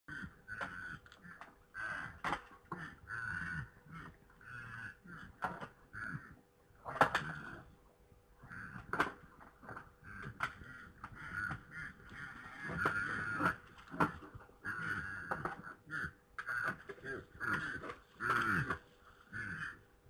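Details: Red deer stags fighting in Poland on 3 November 2017 at 21:01, heard as a steady run of rough, nasal grunting bursts broken by sharp, clacking knocks and thumps, with a faint steady electrical hum underneath.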